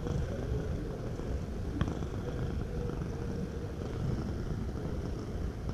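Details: Short stretch of a cat's purr, a rough, low buzzing rumble with rapid even pulses and a brief click just before the two-second point.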